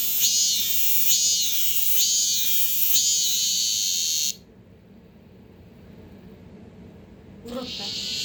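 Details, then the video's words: Male cicadas, some fifteen caught and kept indoors in a house in Korea, singing: loud shrill pulsing buzz repeated about once a second for four seconds, then sudden silence and a child's voice. "집안에서 참매미 울음소리가!!!😱😓15마리 떼합창"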